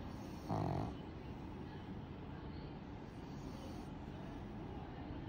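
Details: A single brief, low, throaty snore from a pug near the start, followed by several seconds of steady background hiss with no further breaths.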